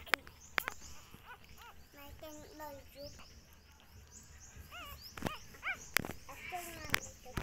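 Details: Poor puppies and their mother dog: repeated short, nasal whines, each arching up and then dropping, coming in quick bursts. Sharp knocks and faint voices break in now and then.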